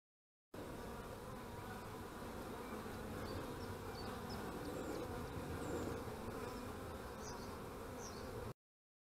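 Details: Many honey bees at beekeeping hives on 25 March 2015 produce a thick, steady drone. Faint high bird chirps are scattered over the hum.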